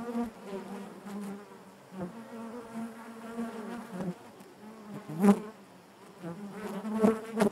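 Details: Hive interior full of honey bees, a droning low buzz with shimmering upper harmonics, swelling in bursts every second or two with occasional crisp taps.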